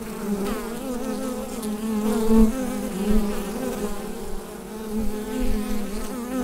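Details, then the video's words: A colony of bees humming in the hive, recorded with a Rode NT-USB microphone: a low, layered, unbroken buzz with wobbling overtones that rises and falls slightly in volume. "Bee Hive Sound Effect"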